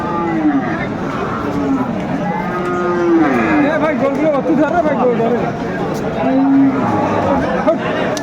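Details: At Aftabganj haat in Dinajpur, Bangladesh, 10 September 2024, Friesian and crossbred bull calves give repeated sliding moos, some rising then falling, amid a busy market's murmur of people talking.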